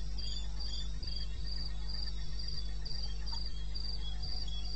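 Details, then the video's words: Crickets singing after dark in the eastern Botswana wilderness at 2:30 AM, May 2016: shrill chirps repeating about twice each second, a quieter lower chirper interleaved, faint clicks and a persistent low hum behind. "1 Hour cricket sound"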